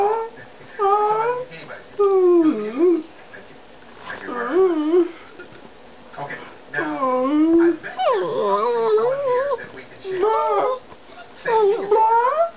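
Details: Pet dog talking, a long series of warbling, wavering howl-like vocalisations rising and falling in pitch, in bursts of one to two seconds with short pauses, loud and close; a person's voice briefly between phrases.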